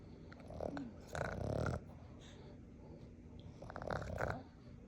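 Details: A four-month-old Boston Terrier puppy snores loudly, with rough, rumbling breaths that come in slow bursts.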